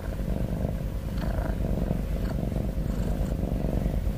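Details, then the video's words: Cat snoring and breathing heavily, giving a low, purring rumble of fast regular pulses that holds steady throughout, with no other clear sounds. "Cat Snoring N Cat Heavy Breathing Sound"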